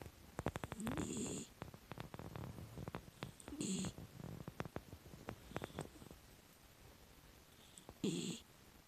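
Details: A sleeping six-year-old female miniature dachshund, a rescue dog, gives soft, breathy snores, each a low rumble with a hissing edge.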